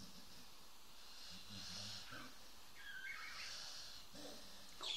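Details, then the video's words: Snoring dog, deep rattling breaths rising and falling in slow cycles, a wheezy airy edge on some exhalations and a brief higher scrape near the end. "Snoring dog"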